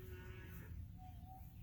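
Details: Cow on a farm in February 2021, with cattle including a calf moving toward an arriving hay truck, gives a low, droning moo with a steady hum. A faint thin whistle comes near the end over low background rumbling.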